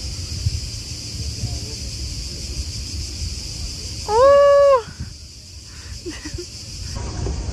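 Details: Cicadas on a Croatian island marina in summer give a steady, high, hissing buzz as mating calls, with a brief low tonal hoot partway through.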